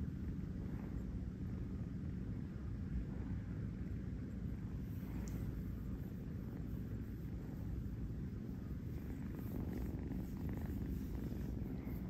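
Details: Kurt, a kitten living in New York, purring while napping on a fuzzy bed; a steady, low continuous rumble runs throughout with faint soft rustles, no other animals heard.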